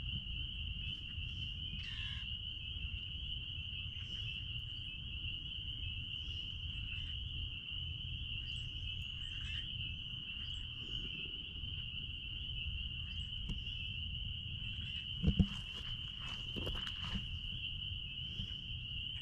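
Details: Spring peepers calling out back at a blueberry farm, many voices merging into a steady, unbroken high ringing chorus, with a few brief louder sounds over a faint low rumble of background noise.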